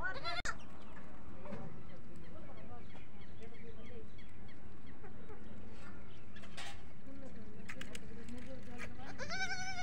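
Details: Goat kids at a goat farm bleating for the mother goat; faint quavering calls come and go over a constant low drone and voices, with a strong, clear bleat near the end.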